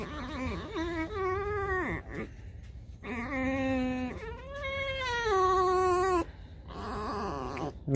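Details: Domestic pet fox in the morning as dogs come to greet her before breakfast: loud, drawn-out, harmonic whining wails in four long bursts, some falling at the end, with a man's voice and quiet music nearby.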